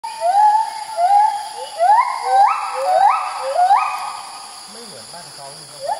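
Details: White-handed gibbon, one of a group seen early in the morning at Kaeng Krachan National Park, Thailand, calling profusely while moving from branch to branch; clear whistled hoots sweep upward, about seven notes quickening and climbing in pitch, then fading into faint rustles.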